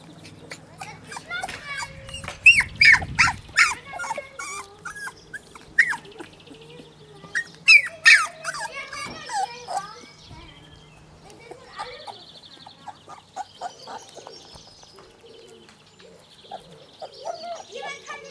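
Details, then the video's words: Labrador Retriever puppies from Herzhorn with their mother Pinja, giving a busy run of high, squeaky whimpers and yelps in dense bursts, with human speech between them and quieter stretches toward the end. "Pinja und Ihre labrador welpen babys aus Herzhorn"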